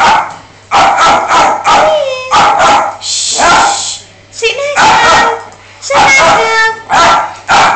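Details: Miniature dachshund barking in a rapid series of sharp, loud yaps with short pauses, some barks sliding into whiny tones, while a person repeatedly shushes and tells the dog to sit.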